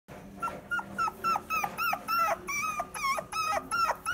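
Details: Mixed-breed dog at a pet shop in Omihachiman, Japan, whimpering: high, thin, whistled whines repeated about three times a second, each with a short rise and fall, steady and insistent in a small room.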